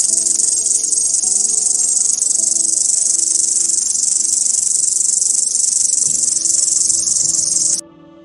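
A cricket gives a steady, shrill, high-pitched trill, with soft tonal music beneath it.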